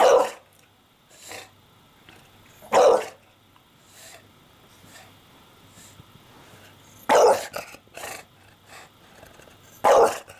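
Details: Indoors, Porkchop the English Bulldog, annoyed by the camera while nesting in the laundry, lets out sharp barks at irregular intervals, two coming close together, with quieter grumbles and fabric rustling in the gaps.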